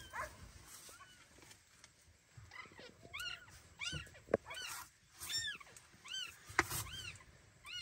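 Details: Kira's newborn kittens, carried off in her teeth during weighing, call in high arching mews, clustered in the second half, with clicks and handling noise between.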